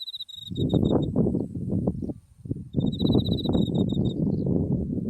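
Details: Insects of autumn at a flowering buckwheat field facing Mount Tsukuba: a short high chirping trill, a pause, then a longer run of rapid bright pulses, all beneath strong low wind rumble.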